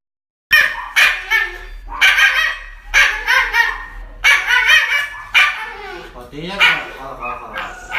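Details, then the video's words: Pet dog being given an injection, reacting with a series of loud, sharp yelps and cries in bursts about every second, higher whining toward the end, with a person speaking soothingly in Chinese in the background. "Funny Dog Injection videos"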